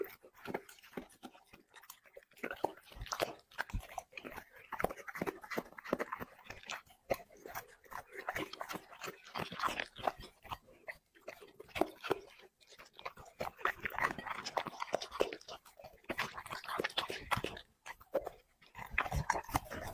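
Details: Steady, busy chewing from a dog working through plates of chicken and vegetables in a mukbang ASMR recording, with clicky crunches and smacking mouth sounds running almost without a break, dipping briefly twice.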